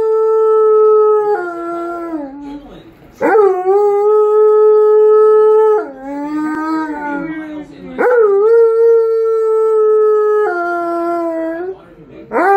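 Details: An Alaskan Malamute howls along with dog videos on screen, giving long, steady, tonal howls with sudden upward swoops at their starts, separated by brief breaths, roughly every few seconds.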